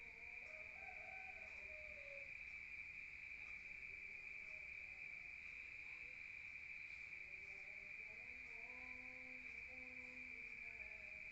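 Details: Crickets at night in a rural area, heard from inside the room: an even, sustained high trill continues throughout while soft, lower whistled notes come and go in the background.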